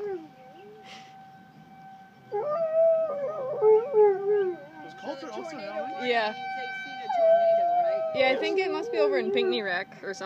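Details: Colter and Diesel, two pet dogs, answer tornado sirens with rising and falling howls that start after a quiet opening, layered with a constant siren hum and people talking.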